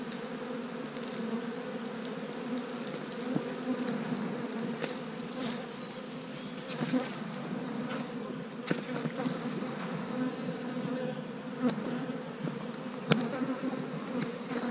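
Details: Honey bees active on a 65 degree day, a steady dense hum with bands low in pitch, continuous throughout, with occasional brief clicks and faint higher crackles over the droning swarm.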